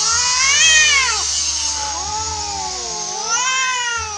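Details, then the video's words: Feral cats squaring off in a fight, the orange cat the loser; slow undulating howls bend up and down, one long yowl followed by another after a brief dip. "KUCING OREN KALAH BERANTEM"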